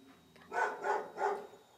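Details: Sammy, a cat at the cage-free Cat Cottage of the Sanctuary One care farm, is led by a laser pointer to show off the amenities. Three short, even, mid-pitched meows come in quick succession in a small indoor room.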